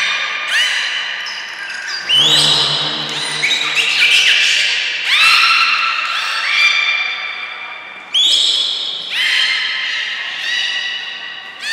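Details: At Port of Nagoya Public Aquarium on 5 June 2021, trained belugas Hodoi, Gray, Nana and Niko give loud, nasal squawking calls in repeated harmonic bursts, one buzzy pulsed outburst early on, echoing in a large indoor space.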